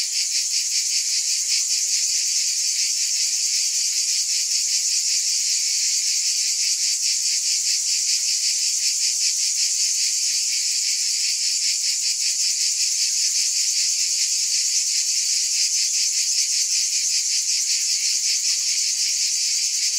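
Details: Continuous cicada chorus, an intense high shimmering buzz with fast regular pulsing, holding even strength over twenty seconds.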